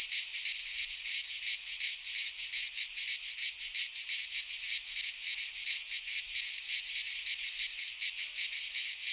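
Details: Cicadas singing in midsummer in a Greek pine forest: a dense, loud, buzzing drone, steady across the whole stretch and pulsing roughly three times a second, with no other sounds.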